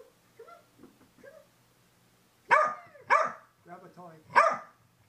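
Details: Female Corgi going wild indoors after a bath while being toweled off, captured by a helmet camera set on the floor: soft low yelps and voices, then three loud, sharp barks spaced about a second apart, with a breathy bark between them.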